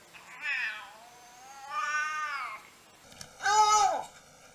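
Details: Domestic cat making weird noises: three separate meows, the first two long and wavering, the last louder and sharper, sliding down at the end, in a quiet room.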